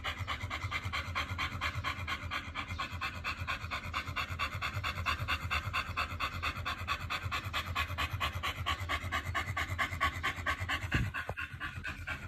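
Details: Pit bull named Oliang panting steadily during a raw-feeding session of silver pomfret and chicken thigh, quick even breaths repeated a little over twice per second throughout, with faint music underneath.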